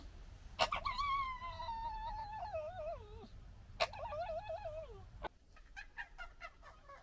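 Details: Foxes interacting noisily: two long, wavering, high whines that slide slowly downward, each opening with a sharp click, followed by a quick run of short yips.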